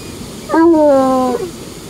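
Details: Trapper, a coonhound off the leash at a dam, one of his favourite spots, where he sits staring at the water and howls; a single short tonal howl of under a second, rich in harmonics and gently falling in pitch, over quiet background.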